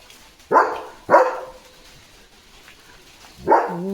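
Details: German Shepherd dog barking as rain begins in windy, stormy weather: two sharp loud barks half a second apart, a pause, then a third bark trailing into a lower whine, with faint speech and wind in the background.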